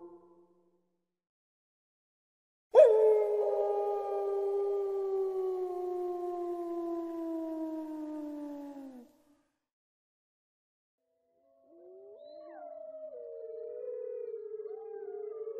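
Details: Gray wolf giving one long howl that starts abruptly and slowly falls in pitch over six seconds, a pause of silence, then wavering howls that rise and overlap.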